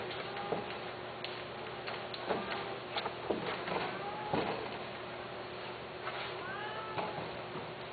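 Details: Pet cats give a few soft, drawn-out meows that curve down in pitch, the clearest near the middle and toward the end, among scattered clicks and taps in a muffled room.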